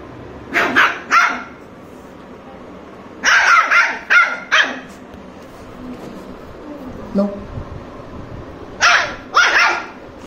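Sharp, bright barks from a Lhasa Apso come in twos and threes, separated by several seconds of quiet. A faint human voice murmurs in the gap between bursts.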